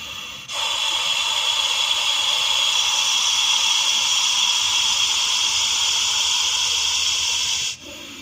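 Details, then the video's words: Snake hissing in Vapi city, a Russell's viper: after a short pause one long, even, breathy hiss that lasts about seven seconds and then cuts off sharply. "russell's viper hissing sound"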